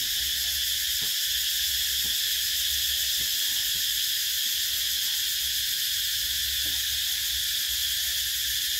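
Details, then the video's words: Cicadas buzzing in summertime, a constant high-pitched sizzling wall of sound with no pauses, plus a low hum and a few soft clicks underneath. "Tiếng Ve Sầu kêu mùa hè"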